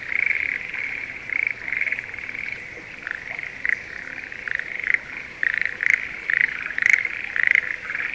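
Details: Schlegel's green tree frogs calling during the spring breeding season in rice paddies near Sendai, Japan. Short rattling croaks come in uneven groups over a quieter background chorus, with a few sharp clicks.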